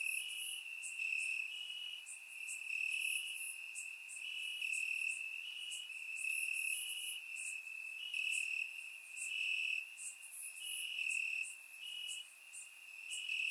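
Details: On a warm summer night in Bulgaria, crickets in the grass produce a dense, unbroken high-pitched trill, stepping between two close tones, with frequent sharp overlapping chirps from many insects, captured by a surround microphone.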